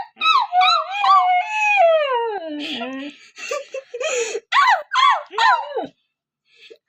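A Siberian Husky howls in long, wavering tones that slide downward, then breaks into short yodelling yowls.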